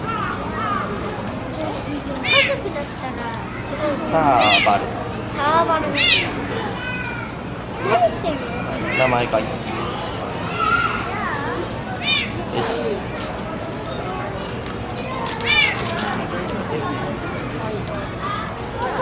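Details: Serval kept at Higashiyama Zoo and Botanical Gardens, recorded in February 2024, uttering a series of brief cat-like mews, high and arching, scattered every two to three seconds amid continuous talking from zoo visitors.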